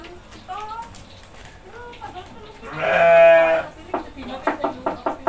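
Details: A goat being fed by a family gives one drawn-out, wavering bleat at about three seconds, preceded by soft Indonesian talk and followed by light tapping.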